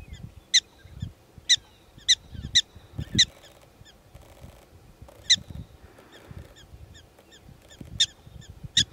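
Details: Prairie dogs calling in Theodore Roosevelt National Park, short shrill yips spaced irregularly, sometimes doubled, against a quiet backdrop of low wind noise.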